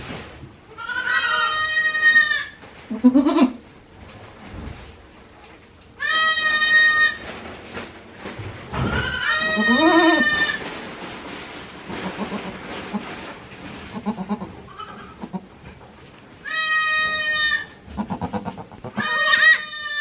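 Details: Goat kids born one day earlier at a handmade goat farm in Japan, 17 April 2024, bleating repeatedly: long, bright harmonic cries, some wavering and some shorter, about six calls in turn with rustling and thumps between.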